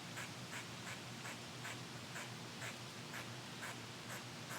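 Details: Angry squirrel, upset at being recorded in its tree on a windy day, giving sharp, harsh chucks about twice a second in a steady series over a constant rush of wind.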